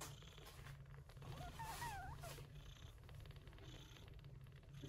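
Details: Short-haired gray Persian Chinchilla mother caring for her newborn kittens, born in an early-September typhoon. A continuous deep, pulsing purr fills the clip, with faint thin mewing traces in the middle.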